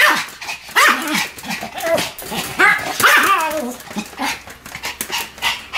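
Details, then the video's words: Two Pomeranians barking as a duet: shrill, choppy barks trading back and forth, with loud emphatic bursts near the first and third seconds and quieter yaps in between. "犬の鳴き声 ポメラニアン"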